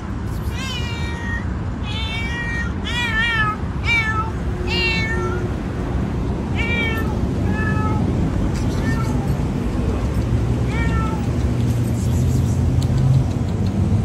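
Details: Loud meows from an orange house cat, a rapid run of short, rising-then-falling calls in the first five seconds, then a few more spaced out, with a steady deep rumble underneath throughout.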